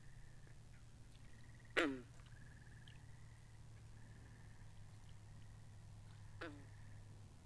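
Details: Binaural recording of frogs at a pond: a loud, harsh, descending croak stands out early, then a fainter one, while quieter buzzy trills repeat in the background over a constant low hum.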